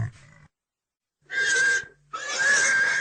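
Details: Short low grunt from a pig, then two loud, wheezy, high-pitched squeals lasting around a second each.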